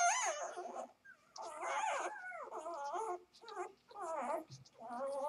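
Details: Newborn Vizsla x Labrador cross puppies at two days old whine and squeal almost without pause, loud wavering cries rising and falling in pitch, broken by brief silences.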